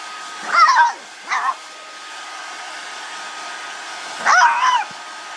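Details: Pet dog barking at a hair blow dryer while being dried: two yelping barks, a short whine, then another bark burst, over the constant steady hum of the dryer.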